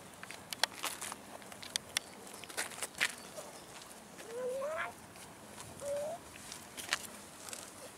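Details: Abandoned cats wandering a town park, begging people for food, give two clear upward-sliding meows about a second and a half apart, amid scattered clicks, taps and footstep-like knocks.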